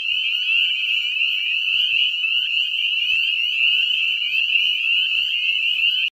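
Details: Chorus of breeding spring peepers in a lagoon: countless shrill, high-pitched peeps layered into an unbroken ringing din, steady loudness throughout.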